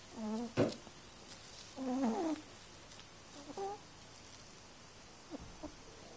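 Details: A sleeping cat snoring: soft, nasal, tonal breaths with a faint whistle, in irregular bursts about half a second long, separated by quiet pauses.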